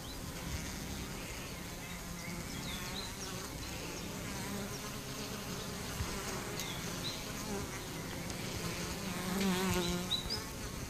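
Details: Colony of honey bees suffering from chronic bee paralysis: sustained layered buzzing hum, low droning bands with overlapping wavering whines, swelling slightly louder near the end.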